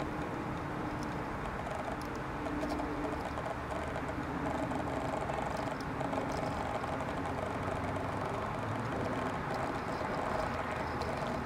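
Honey bees make a dense, steady low drone with faint wavering overtones throughout.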